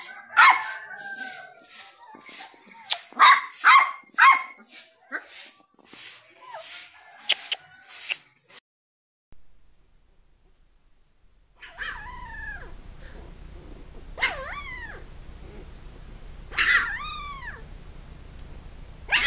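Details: Rapid run of shrill puppy yaps for about eight seconds, then a pause and a few drawn-out, whining yelps that rise and fall in pitch over a low background hum.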